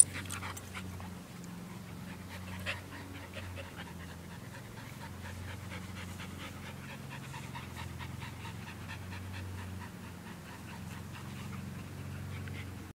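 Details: Australian Shepherd mix and Belgian Malinois mix dogs at play, heard as continuous quick panting with short breathy bursts and a brief sharp knock near the start, over a steady low droning background.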